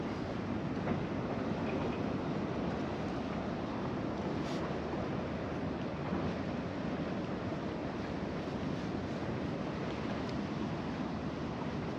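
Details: Steady seaside wind noise and surf roar run the whole time, with no animal call standing out.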